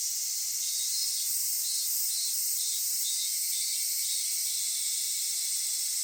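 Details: A Japanese summer cicada chorus recorded at Kitakami, Japan, at Michinoku Folk Village and Kitakami Tenshochi: a dense, steady, high sizzling sound with gentle wavering pulses throughout.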